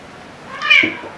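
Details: Domestic cat from the pair Luna, a black cat, and Angel, a tabby, filmed together between 2018 and 2021: one short, bright meow swelling and fading within half a second against a quiet room.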